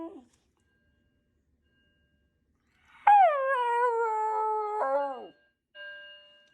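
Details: Pet Shiba Inu reacting to a fire alarm with one long scream, about two seconds long. It starts sharply, sinks slightly and holds steady, then ends with a brief falling break. Otherwise quiet.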